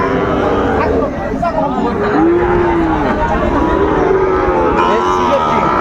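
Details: Sahiwal bull calves at a crowded cattle market in Bangladesh, 20 June 2024, part of sixteen bought by a Chattogram trader: a drawn-out lowing moo that arches up and falls midway, set against constant chatter of people.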